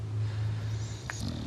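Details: An English Bulldog sleeping and snoring, a deep, even drone held steadily through the clip, broken by a brief click near the end.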